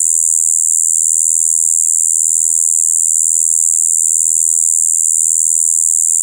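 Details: Shibuiro kayakiri katydid recorded on 2 April 2023, an adult in spring breeding season, giving a continuous, monotonous buzzing "bii" that mixes high and low tones, steady and unbroken throughout with a faint low hum beneath.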